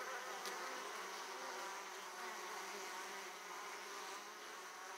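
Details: Many Italian honey bees at an opened hive, returning laden with pollen; continuous thick droning buzz of the colony, slightly fading toward the end, with a brief sharper tick near the start.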